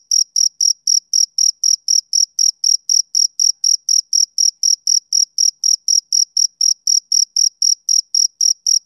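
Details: A male cricket's summer-evening chirping, sharp, shrill, high chirps repeating about four times per second in a steady unbroken rhythm; nothing else audible.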